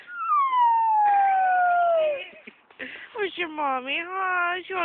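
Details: Howling dog at the park after a walk, giving one long, clear wail that slides steadily downward for about two seconds, followed by choppier, wavering cries mixed with a person talking.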